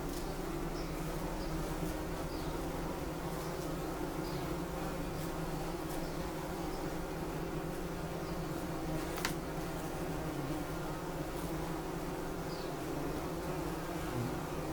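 A bumblebee hums with a deep, continuous buzz, its tone steady and unbroken for the whole stretch. Faint clicks and a light background hiss sit behind the drone.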